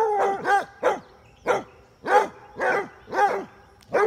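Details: Basset Hounds, females chasing a male in play, giving loud, harmonic barks and bays, about eight in four seconds at uneven spacing, some in quick pairs.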